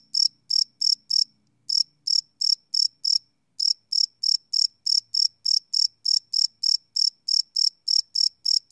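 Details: Nocturnal cricket chirping recorded live with a Sony PCM D100: rapid high-pitched pulses about three per second, broken by two short pauses, with a soft low rumble early on.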